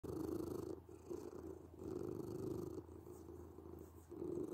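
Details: Domestic cat purring: a low, steady rumbling that swells and fades with each breath, loudest at the start, around the middle and again at the end.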